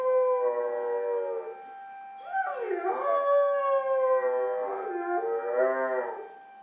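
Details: Puppy, a female, answering the town's Saturday 11 a.m. emergency siren test with howls out the window; long quavering howls that swoop up and down in pitch, with a faint steady siren tone underneath.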